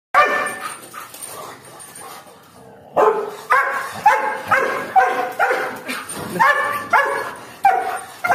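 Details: Doberman on duty guarding its home, barking in quick repeated bursts, roughly two barks a second after a brief lull, deep harmonic woofs with faint background noise.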